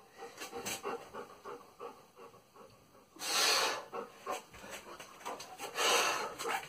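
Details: German Shepherd named Salvo during a training session; soft rhythmic breathy bursts with two loud, broad, hissing pants around the middle and end, over a low background murmur.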